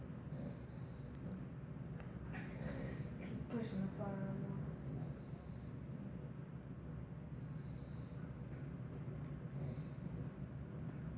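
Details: Bentley, a Pit Bull, sleeps deeply with tongue out and eyes rolled back, snoring in low, rough, steady rumbles, with soft hissing breaths recurring every couple of seconds and a brief murmur partway through.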